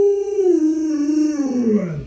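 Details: Pet Alaskan Malamute Luoluo reacting to its owner's pretend puppy stew: a long, steady, mid-pitched howl lasting about two seconds, slowly sliding lower toward the end with a slight wavering quality.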